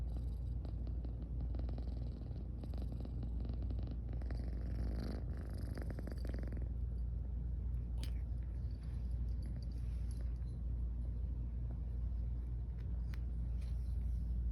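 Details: Sleepy female pet cat purring while yawning, heard up close: a steady low rumbling purr runs through the whole stretch, with a few soft clicks and light rustling near the microphone.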